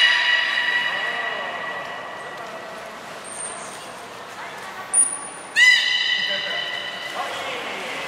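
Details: Training session with belugas Nana and Niko at Port of Nagoya Public Aquarium, 7 October 2018: steady harmonic tones, brief high whistle blips, then a sharp rising onset of a buzzy stacked call near the end.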